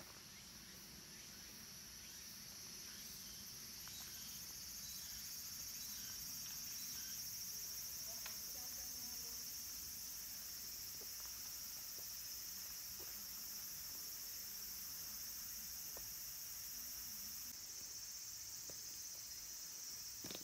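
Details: Cicadas at Kabusanji, a Tendai mountain temple in Takatsuki City, Japan, near summer's end, where minmin and tsukutsukuboshi cicadas sing: a dense, steady high hiss swells in the first seconds and then holds, with a few faint taps and rustles beneath.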